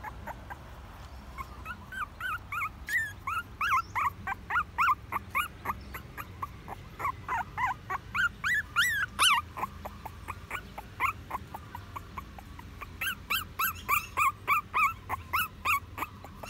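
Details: Puppy whimpering in a long run of high, whiny yelps, roughly three per second, with some rising and falling, plus a steady low hum behind it.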